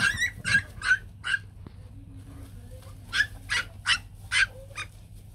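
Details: White fluffy Bac Ha dogs, a Vietnamese native breed, a mother with her puppies indoors: bursts of high whining yelps in two clusters, about three per second, with quiet low hum between and a woman speaking softly nearby.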